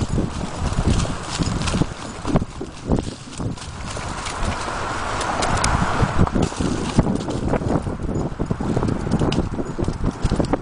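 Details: Ridden Appaloosa mare galloping and cantering through Sherman, past The Rail Golf Course and along Riverside Park trails, 2010-2011; quick thudding hoof strikes run on continuously, partly blurred by loud wind buffeting.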